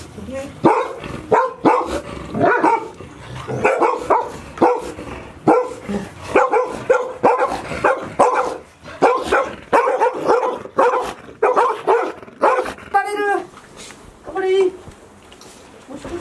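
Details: Five Golden Retriever puppies, 158 days old, from Chiro's litter, kept indoors all day at Ain village as Typhoon 24 approached on 30 September 2018; dense bursts of short, harmonic yips and barks, overlapping and quickly repeated, with a few rising squeals near the end.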